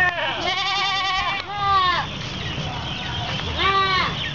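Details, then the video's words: Goats waiting for feeding at an Islamic boarding school in Kapuas, Central Kalimantan, Indonesia, 10 February 2013; three wavering bleats, the first long and quavering, with human speech and background murmur between them. "Paduan Suara Kambing Menunggu Jatah Makan"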